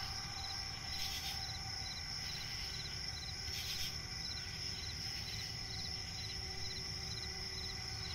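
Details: Crickets chirping at night in a forest by a swamp: a steady high shrill trill runs throughout, with short pulsed chirps repeating rapidly beneath it and brief brighter bursts near one and four seconds over a low background rumble.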